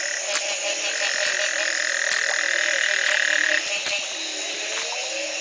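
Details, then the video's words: Frogs calling in Belize at the Community Baboon Sanctuary in 2010, the morning after a single night of rain ended a three-month drought. Many overlapping calls: sharp repeated clicks, a sustained whistled tone lasting several seconds, and a dense high buzzing chorus. "Frog calls galore"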